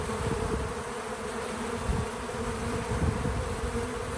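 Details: Bees visiting a feeder outdoors on a small farm, a steady low droning hum of wings with a band near 500 and softer low rumbles, continuous throughout without music or talking.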